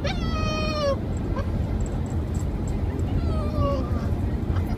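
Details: Domestic dog howling, two short descending notes separated by a pause of about two seconds, fairly faint over a steady low rumble.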